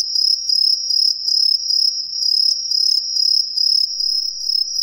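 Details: Green tree cricket, an introduced species, calling from roadside trees in an Ehime residential neighbourhood, Japan: loud piercing high trills in short bursts of about half a second, pulsing over a constant shrill background chorus.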